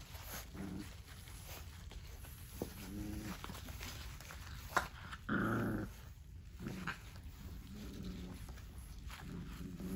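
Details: Dogue de Bordeaux heard as low, rough growling with short, groaning harmonic bursts spread across the clip, one louder broad bark-like burst in the middle, over steady background hiss.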